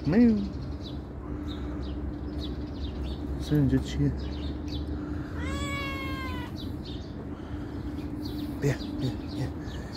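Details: A calico cat that comes when called lets out one long, clear, slightly falling meow midway, between short spoken calls of its name, with small birds chirping faintly overhead.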